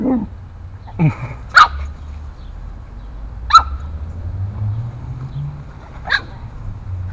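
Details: Eight-week-old Boston Terrier pup taking on bigger dogs in the neighborhood, giving isolated sharp barks spaced a second or two apart, with a low background rumble.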